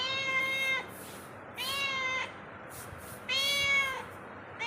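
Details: House cat moving about inside a home, repeating loud, clear meows: three full calls about every one and a half seconds and the start of a fourth, each steady then gently falling, quiet room between.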